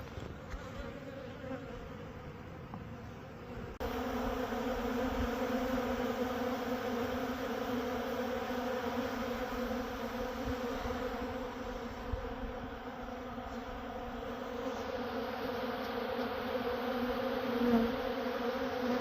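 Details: Western honey bees at a Manitoba, Canada apiary hum with a steady, low, droning buzz that swells slightly as they fly close.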